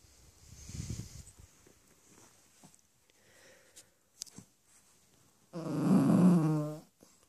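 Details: Bentley, a four-month-old Cavalier King Charles Spaniel puppy, grumbles crossly because he wants to sleep on his human rather than in his dog bed: a soft rough puff, quiet snuffles, then one loud, droning, harmonic grumble lasting over a second indoors.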